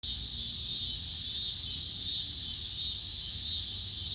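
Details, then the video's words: Insects calling at dusk: a dense, steady high-pitched hiss of overlapping chirring that holds unbroken throughout, with only a faint low rumble beneath. "sounds of insects at dusk"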